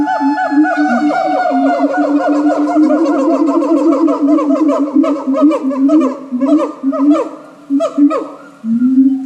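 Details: Loud siamang calling at Japan Monkey Centre, a continuous run of booming low notes mixed with fast upward-sweeping yelps, fading into short separate bursts near the end.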